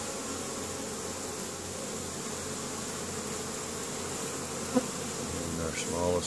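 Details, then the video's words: Honey bees hard at work foraging in spring at a hive in Caribou, Nova Scotia, Canada, 10 May; steady humming buzz of many bees, with a short click and brief rustling handling noise near the end. "Honey Bees spring foraging"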